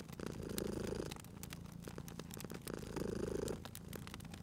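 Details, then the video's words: Cute cat purring beside a crackling fireplace: a low, steady rumbling purr swelling in two long breaths, with sharp pops and snaps of burning wood throughout. "Cute Purring Cat at a Crackling Fireplace"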